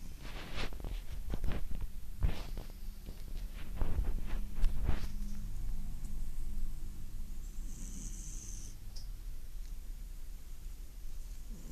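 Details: Domestic cat snoring while asleep indoors: rough, breathy snorts in an uneven rhythm through the first five seconds, then softer breathing. A faint high hiss appears near the end.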